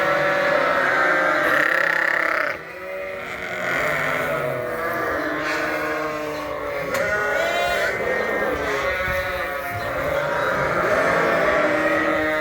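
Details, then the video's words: Sheep and newly weaned, upset lambs indoors on a farm in winter, calling loudly for grain and hay at feeding time; constant layered bleating from many animals, briefly dipping near three seconds before resuming at full volume. "The Noise Of The Sheep At Feeding Time"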